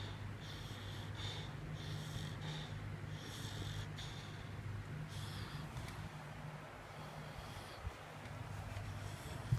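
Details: Dog snoring with snorting, wheezy breaths repeating in a regular rhythm, fading in the second half over a constant low droning hum.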